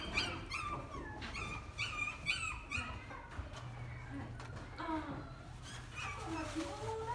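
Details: Dogs in a pet shop: a run of high, short yips and whimpers in quick succession, some rising and some falling, over a busy background of low hum and indistinct voices.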